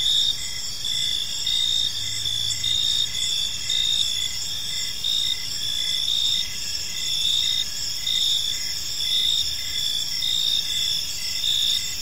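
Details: Gentle chirping of crickets in a park as evening falls; dense high steady trills with a regular pulsed chirp about every half second, and a brief low hum near the start.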